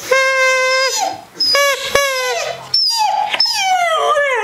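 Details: A 17-month-old Siberian Husky answers a high whistle with drawn-out, sliding woo-woo vocalizations that rise and fall in pitch, tilting his head.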